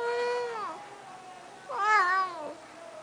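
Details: Snuggles, a talkative pet cat, gives two clear, loud meows about a second apart: the first long and level before dropping, the second rising then bending down into a wavering, drawn-out tail.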